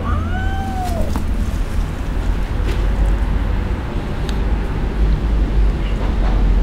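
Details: Kitten abandoned by its owner crying in the street: one short arched meow at the start, then only heavy low traffic rumble.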